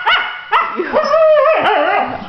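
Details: Young female husky, newly adopted, throwing a tantrum and refusing to get out of bed: drawn-out, whining, talking-style vocalising with wavering, sliding pitch and short yelping starts, while a person urges her to wake up.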